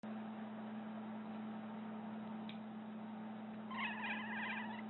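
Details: Pet cat reacting to the sound of someone clipping their nails, making a strange wavering cry of about one second near the end, with harmonics, over a steady low electrical hum in a quiet room.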